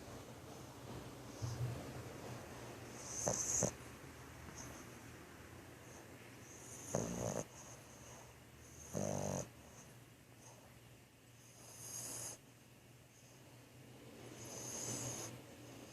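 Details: Asleep and snoring, Thor the French Bulldog makes short, irregular snorts and rough inhalations every few seconds, some with a hissing, airy edge, separated by quiet breathing.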